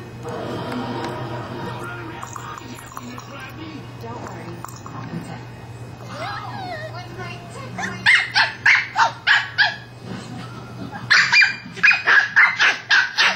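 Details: Pet male West Highland White Terrier barking at his toy ball indoors. After several seconds of background voices and music, sharp, bright barks come in two rapid, evenly spaced runs of about six and then five.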